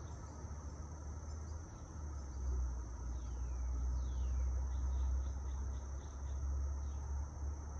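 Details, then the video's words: Cicadas recorded outdoors among trees with wind and light traffic: a steady, unbroken high-pitched buzzing drone holds throughout, over a heavy low rumble of passing vehicles, with faint short sweeping chirps in the background. "Light traffic, cicadas, wind through trees"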